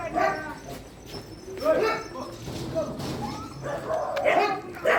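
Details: Dogs at a shelter during night feeding, several voices barking and yelping over one another in short overlapping bursts, with some higher whimpering tones between.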